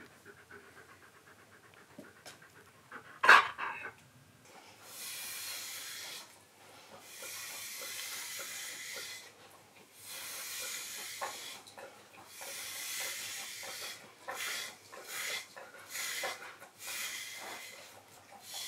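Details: A Siberian Husky being groomed at home during its coat shedding pants in rhythmic breathy bursts of about a second each, after a sharp knock and handling noises early on.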